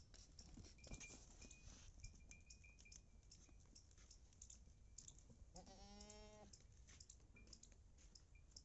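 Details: Female Beetal goat from Punjab, described as 4.5 months loaded, gives a single wavering, harmonic bleat of about one second near the end, over steady rustling and scattered clicking noises.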